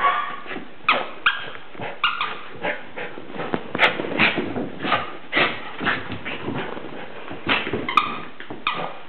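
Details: West Highland White Terrier giving a rapid run of short, sharp yips and whimpering squeals, bursts packed closely together every fraction of a second with a few louder peaks.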